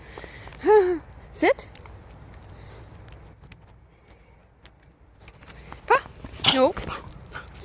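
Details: Snowstorm play call from Aurora, a female Siberian Husky, calling for someone to come out and play. Several rising-and-falling harmonic whines and short yelps come in bursts while a person repeatedly tells her to sit.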